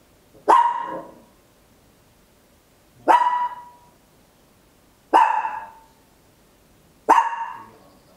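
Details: Papillon, a tiny house dog, barking loudly, recorded in stereo with an Olympus LS-11 at home; four crisp single barks at irregular intervals of two to three seconds.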